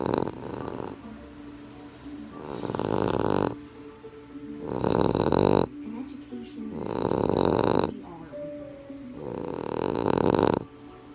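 A Boston terrier snores in loud, rasping breaths that come roughly every two to three seconds.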